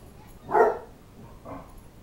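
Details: Basset Hound at a play date with three bassets together; one short, rough bark rings out, followed about a second later by a softer, briefer yelp in an otherwise quiet room.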